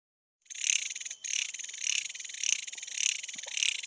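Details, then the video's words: A cicada (Nepali jhyaukiri, "centipede cicada") in dense forest gives a loud, shrill buzzing song that swells and pulses about twice a second. Its song is believed to signal that sunset is near. "SOUND OF CENTIPEDE CICADA - झ्याँउकीरी JHYAUKIRI"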